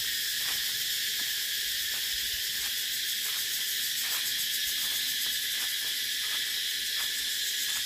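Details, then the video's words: Loud continuous cicada buzz, high and hissing, with light ticks repeating at fairly even intervals of about two thirds of a second. "Tiếng Ve Sầu kêu hay nhất"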